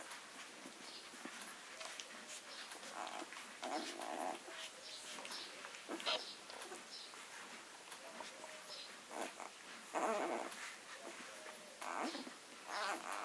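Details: Summer litter of Leonberger puppies, six days old, squeaking and whining intermittently amid constant rustling and nest movement, with a stronger cluster of high squeals near the ten-second mark.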